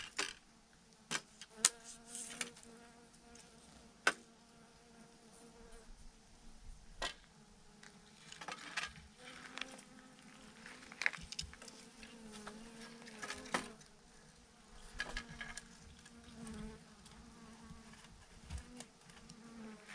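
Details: Honey bees, thousands clumped together as a massive swarm hanging on a branch, giving a steady, layered droning hum with a low fundamental and stacked overtones, broken by scattered sharp clicks and taps.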